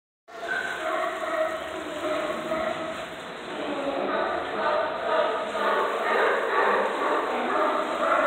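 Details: A crowd of sea lions under the docks of Astoria gives a dense, continuous chorus of hoarse barks and groaning roars, one answering a person's call.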